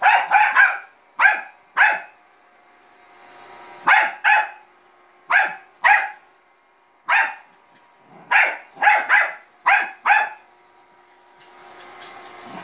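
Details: A small Bichon Frise gives sharp, high barks in quick bursts of one to three at a robot vacuum cleaner.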